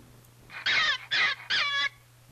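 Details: Gray fox; scream; distress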